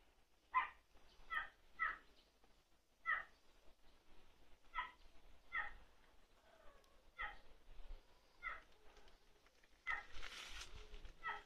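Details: Male long-coat Chihuahua puppy, 88 days old, black-tan and white, in Fukuoka, Japan, on 13 May, giving short high whining yelps repeated roughly every second, about a dozen in a row, with a brief rustling burst near the end.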